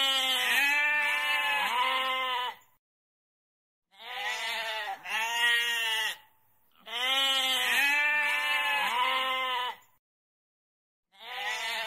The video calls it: เสียงแพะ Goat Sound